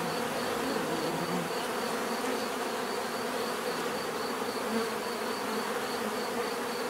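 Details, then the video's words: Steady hum of many overlapping buzzes from bees, low and droning with slight wavering in pitch, under a constant faint high-pitched whine. "bees therapy relaxing natural buzzing sound"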